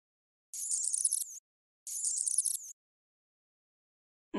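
A mouse gives two bursts of thin, very high, rapid squeaking chatter, each lasting under a second.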